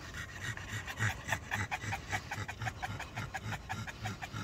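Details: Rapid, throaty panting from a black Pug and a Boston Terrier walking late at night in hot, humid weather. Rhythmic breaths come about three to four per second, with a low snorting quality.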